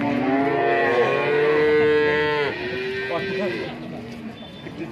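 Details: Male calves bought at the Berketawang cattle market in Sleman, Indonesia, on a morning market day: a long harmonic moo of about two and a half seconds, then a shorter, lower, wavering moo, with faint market background.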